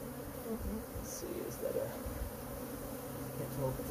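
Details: Riled-up honey bee colony being removed from a cabinet on a covered porch, pulled out with its drawer, gives a steady low hum with a dense droning texture and slight swells, indoors-sounding and without clear voices.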